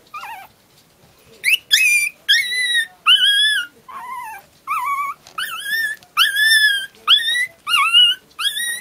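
Pomeranian puppies howl in a string of high, wavering, yodel-like notes, each lasting about half a second.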